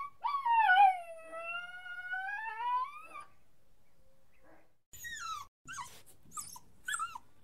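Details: Whining puppy letting out a long drawn cry lasting about three seconds, a steady wavering tone with rich overtones, then a pause before several short, high falling whimpers.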